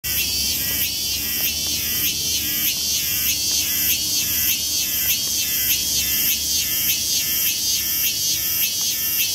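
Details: Countless cicadas in wooded temple and shrine grounds of Tokyo, Japan, make an infernal din: a dense, continuous high buzzing chorus with steady pulsing throbs roughly every half second, no pauses.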